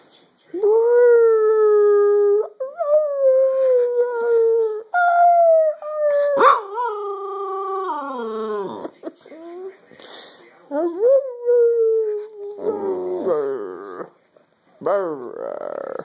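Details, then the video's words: Jaffa the dog and its owner howl together as a pack: long sustained howls that rise and fall in pitch, breaking into wavering, sobbing notes and short yips over about sixteen seconds. "Jaffa and I indulge in some pack howling"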